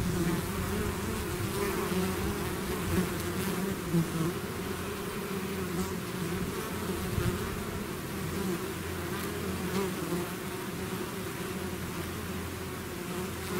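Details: Swarm of bees leaving the hive: an even, heavy buzzing drone that never pauses, low humming tones layered over a fizzing wash, with scattered slightly louder passes of single bees.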